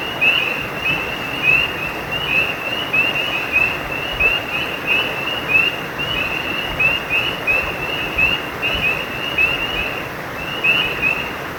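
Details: Chorus of frogs by a brook, giving rapid, evenly spaced high chirps that continue without pause, set against the loud continuous hiss of running water.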